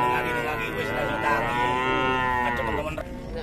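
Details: Sustained, even cattle moo of nearly three seconds from a cow with a belly reportedly full of flies, rich in evenly spaced overtones and fading at the end, with faint voices behind.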